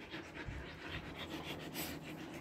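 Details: Body-trimmed Siberian Husky coping with summer in Kolkata, India, panting rapidly: airy, hissing bursts of breath in a fast regular rhythm, a few louder puffs standing out, with faint low background rumble.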